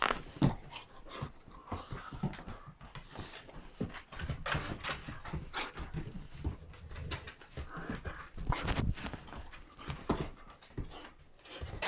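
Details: Puppies indoors, including one named Sharky, playing and scuffling together: soft panting, whimpers and quick rustling, clicking bursts of movement throughout, with no clear bark.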